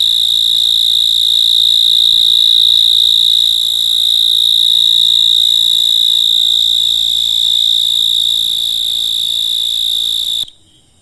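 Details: Night-time insect chorus: an unbroken, high, ringing trill, even and rapidly pulsed, lasting about ten seconds before cutting off abruptly into near silence.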